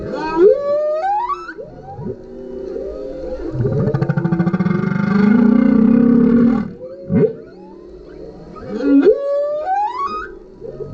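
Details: Male humpback whale singing under a kayak, recorded with a GoPro: rising whistled sweeps, a long loud pulsed groan in the middle, then sharp upward whoops and climbing cries.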